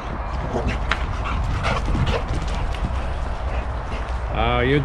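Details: Rough play between an adult Boxer named Rex and a puppy named Sammie; low growls and short yips amid scuffling, a person's voice near the end.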